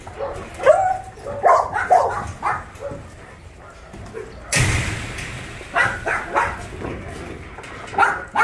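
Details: Shelter dogs at the Ulsan Narae-ul Center, formerly Mindeulle Shelter, in Korea, heard during volunteer work: a quick cluster of yappy barks, then a loud rushing clatter and scattered further barks with voices in the background.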